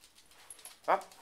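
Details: A dog in a home with a chihuahua puppy and a pitbull-chihuahua mix, Mia and Lily, gives one short, high whimpering yelp. A woman's voice talks softly just before it.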